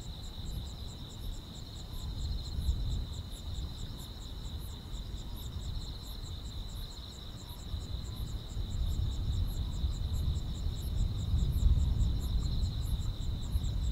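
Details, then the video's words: Countryside grass insects chirping on a summer night: a constant high-pitched drone is layered with fast, regular, very high pulses, roughly three per second. A deep, steady low murmur swells slightly toward the end. "여름밤의 포근한 풀벌레 소리"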